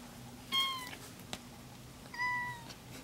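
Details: Domestic cats indoors, several gathered in a small, freshly tidied bedroom; two clear meows, the first short and falling, the second longer and level with rich harmonics, separated by quiet room hiss.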